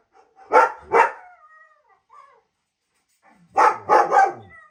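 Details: German Shepherd barking in response to the sounds of other dogs: two loud, deep barks about half a second apart, a pause of over two seconds, then a quicker burst of three barks.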